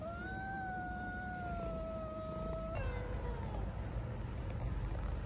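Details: Homeless street kittens in Istanbul, hungry and begging for food and affection, give a long drawn-out meow that holds steady for nearly three seconds, then a shorter falling meow, over constant low traffic-like background noise.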